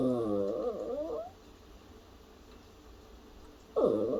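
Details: A worried-sounding puppy copying a cough, uttering a warbling, up-and-down whining moan for over a second, then a silent gap before a second sharp, falling, harmonic vocal burst at the end.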